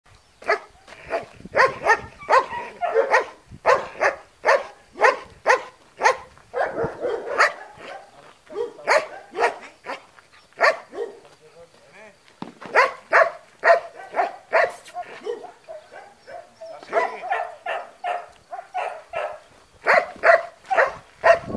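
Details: Trained long-haired German Shepherd on guard duty at a training school in Spata, Greece, giving loud, sharp barks in rapid, irregular bursts, often several in quick succession, with brief pauses between volleys throughout.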